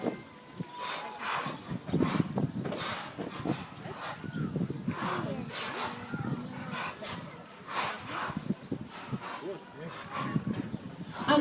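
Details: Captive dolphins at Attica Zoological Park in 2013, surfacing to breathe, give sharp, breathy puffs through the blowhole, repeated in quick bursts over crowd chatter.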